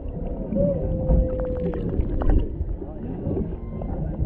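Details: A humpback mother and calf near a boat off Maui, Hawaii, a male in the background, heard underwater through a GoPro Hero 7 Black: a long, level mid-low tone drawn out for about a second, over crackling and low rumble.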